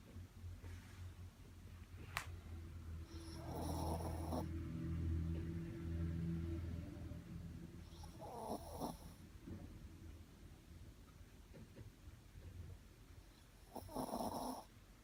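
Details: Shih Tzu dog snoring in sleep: low rumbling breaths with rougher, broader snorts near four, eight and fourteen seconds, each lasting about a second, in an otherwise quiet room.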